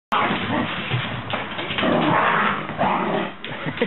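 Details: Rosie the PBGV and Elmo the Irish Terrier playing together: rough, throaty growling mixed with short yips, dense and continuous for several seconds, easing briefly near the end before a final burst.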